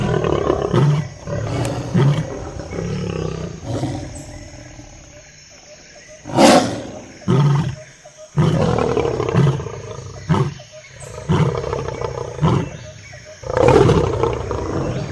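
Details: Lion. Deep, throaty lion roars rumble through the recording in a series of heavy grunting pulses. The low moaning notes rise and fall, with brief pauses between each powerful burst.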